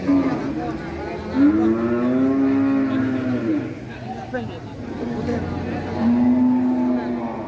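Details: Furious cow charging down from a truck bellows two long, level, harmonic-rich moos separated by a pause, with voices and faint vehicle noise in the background.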